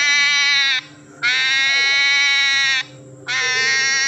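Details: Baby-like crying from a hedgehog, heard as long, steady, tonal wails of about one and a half seconds with brief pauses between them, over a soft low background hum.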